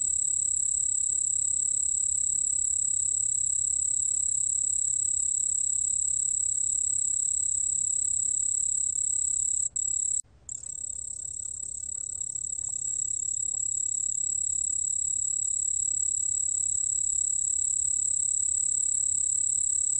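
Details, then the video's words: White-whiskered bell cricket singing, recorded in 2020 by a national biological resources institute; steady high-pitched bell-like trill running unbroken except for a brief stutter and pause around ten seconds, then continuing evenly to the end. "흰수염방울벌레, 여러번 듣기, 곤충소리"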